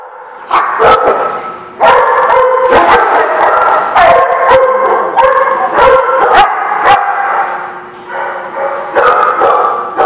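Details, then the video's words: Dogs barking in a loud chorus, sharp repeated barks overlapping with higher yips and howl-like tones, nearly continuous with brief gaps between bursts. "The Barking Lot"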